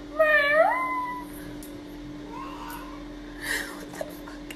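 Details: Pet cat indoors in a small room, giving one clear meow that rises and then holds a steady, drawn-out tone for about a second; afterwards quieter rustles and faint murmurs.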